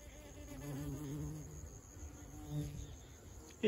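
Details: Honey bees collecting nectar from flowers: a low, droning buzz rises and holds for about a second, then fades and returns briefly. A sharp knock ends the recording.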